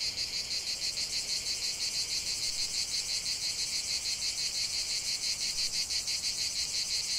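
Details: Shrill cicada song in a natural setting, a loud, even, sizzling drone with rapid rhythmic throbs, about three a second, and no other voices.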